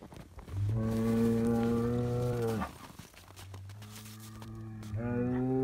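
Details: Highland cattle on a Finnish farm getting bread; a loud harmonic moo of about two seconds, followed by a softer, lower moo and the start of another, overlapping and deep.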